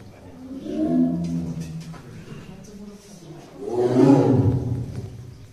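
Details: Caged tigers Dai and Oga at Ehime Prefectural Tobe Zoo, Japan, early December 2023; two deep rough growls about three seconds apart, the second louder and broader, with faint background noise between them.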